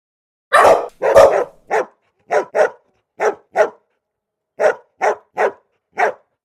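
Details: Loud barking by Golden Retriever puppies, about a dozen barks. The first two are rough and drawn out, then shorter yaps come in quick pairs and runs, with a pause midway and no background noise.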